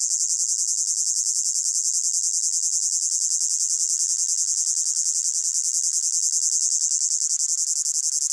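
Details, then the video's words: Crickets calling in a hot summer meadow: a bright, sustained high trill pulsing regularly about three times a second, no other sounds, from a composed ambient mix. "Sound of Crickets in a Hot Meadow"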